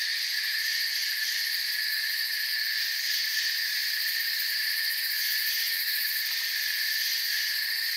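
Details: A forest full of crickets keeps up a level, high, buzzing trill in multiple overlapping bands, slightly pulsing in the top layer, with no other notable sound.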